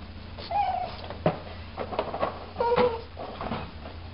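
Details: Pug whining softly indoors: a few short, quavering high whimpers, some sliding downward, scattered across four seconds over a faint low electrical hum.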